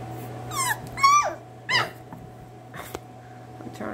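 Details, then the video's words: Miniature Schnauzer puppies indoors giving several high whiny whimpers and yelps with rising and falling pitch, spaced over a few seconds, over a steady low electrical hum and soft background music. "Miniature Schnauzers"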